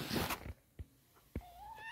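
A kitten gives a thin, high meow that rises slightly, after rustling and a couple of soft knocks.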